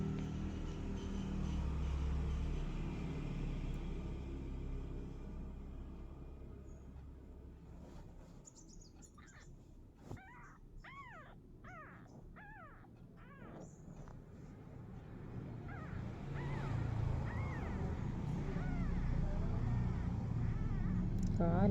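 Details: An active kitten gives a quick run of short, arched, rising-then-falling mews in the middle of the recording. A steady low rumble like a vehicle runs underneath and grows louder toward the end.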